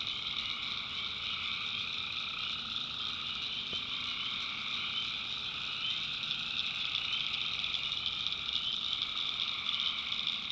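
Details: At night in the North Carolina backwoods, tree frogs form a constant shrill chorus of overlapping trills in several high bands, one brief click partway through, faint low hum underneath.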